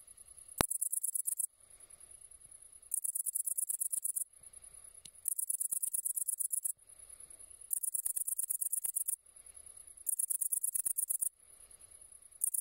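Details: Great green bush-cricket song: loud high-pitched buzzy bursts of rapid ticking, each lasting about one to one and a half seconds, separated by quieter softer stretches, five bursts repeating every two to three seconds.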